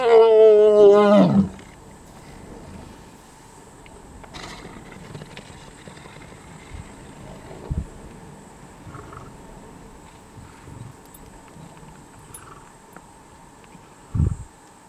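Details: Lion pair mating in Savute, coupling roughly every 20 minutes for hours; a loud harmonic roar that sweeps downward and cuts off after about a second and a half, followed by quiet outdoor background with a few faint thumps.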